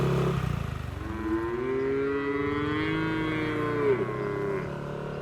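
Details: Cattle herded through forest toward their shed, jumping happily: one long, steady, low moo that holds its pitch for about three and a half seconds and falls away at the end, over a low rumbling background.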